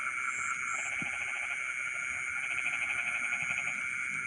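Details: Rice-field frogs at midnight give a fast, stuttering pulsed trill through the second half, while a continuous whining insect background and two high chirps near the start fill the air.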